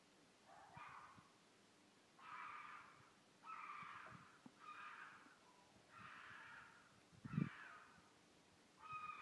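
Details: A mated pair of wild red foxes give harsh, raspy screaming mating calls in a series of bursts in the middle of the night in Midhurst, England, very loud.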